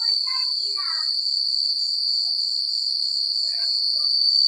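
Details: Crickets at night in rural countryside give a dense, constant high-pitched trill with beating pulses above. A cluster of short mid-pitched chirps marks the first second, and a few more follow near the end.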